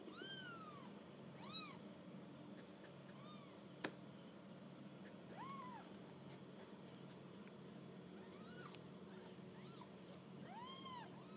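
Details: Kittens on their first walk about give a string of high, thin mews, each a short arching rise and fall, about six spread over the stretch, with a soft steady hum and one sharp knock in the background.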